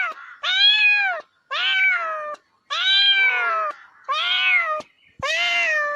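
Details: Cat meowing insistently, five loud meows in six seconds, each roughly a second long with a falling end, separated by brief silences.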